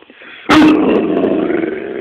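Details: Great Dane puppy learning a trick gives a single sharp bark on the command "speak", trailing into a rough, growling tail.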